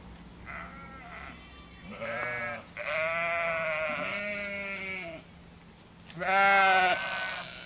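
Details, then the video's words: Sheep on a farm calling, a string of quivering bleats from several animals, some overlapping, ending in one loud high bleat, over low steady background noise. "Sheep Saound"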